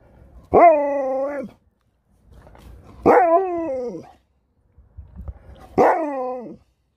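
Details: Sherpa the dog gives three separate drawn-out vocal yowls, one roughly every two and a half seconds. Each is rich and harmonic, and the later ones bend downward at the end. Quiet pauses separate them.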